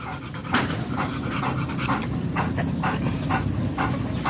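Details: Rapid breathy panting from a German Shepherd at a stud session in Nalsian, Manaoag, Pangasinan; airy puffs come roughly twice a second against a constant low droning background.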